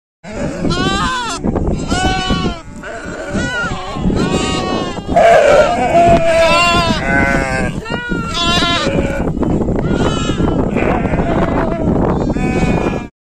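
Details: Sheep. Sheep bleat repeatedly, their quavering, nasal calls overlapping as several animals join in. The calls come in short bursts every second or so, some higher and thinner than others.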